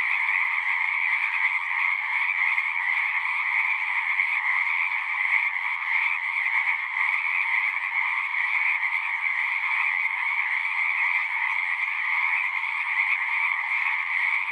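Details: Dense chorus of singing frogs heard as a natural sound, a seamless mesh of fast pulsing trills, one strand mid-pitched and another higher and brighter, sustained at an even level without breaks.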